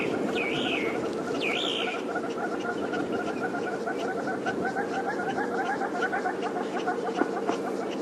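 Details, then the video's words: Squirrel still sounding its alarm at lions of the Tsalala pride during a sunrise safari drive, now half-heartedly after a break; rapid, steady clicking chatter runs throughout, with two rising-and-falling whistles from another bird at the start. "I'm not sure if you can hear it, but the squirrel's still shouting. He had a bit of a break, And"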